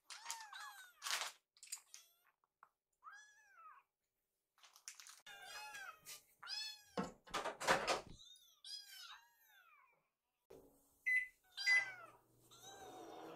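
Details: Hungry rescue kittens crowd the kitchen awaiting dinner, one jumping up at their caretaker; a string of shrill, bending meows from several kittens comes in bursts, broken by thumps, clatter and short quiet pauses.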